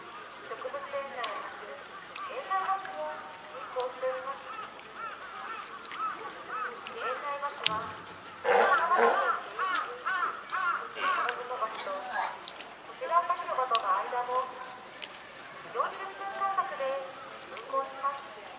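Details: California sea lions, a zoo parent with a just-born pup, give repeated honking, bleating calls with strong harmonics, amid faint human voices.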